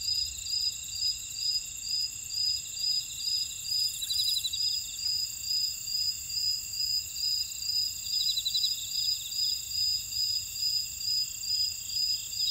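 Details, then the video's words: Field insects singing in a Jeju City buckwheat field, South Korea; high pulsed chirps repeat steadily above a continuous buzzing drone, with occasional short trills and a faint brief hiss. "제주 메밀밭의 풀벌레 소리 (Sound of a buckwheat field)"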